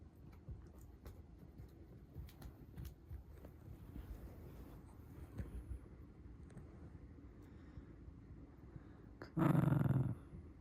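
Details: Angry Shiba Inu growling low and steadily, a rumbling rattle pulsing about four times a second throughout, with a brief louder burst near the end.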